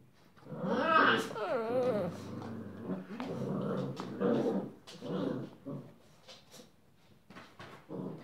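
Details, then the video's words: Rhodesian Ridgeback puppies, six weeks old, indoors, playing, romping and squabbling with their siblings; rising and wavering whiny yelps early on, then a run of rough, uneven growling bursts and grunts, loud then fading, with small-room clatter. "Welpenalarm - Spielen, Toben, Streiten mit den Geschwistern"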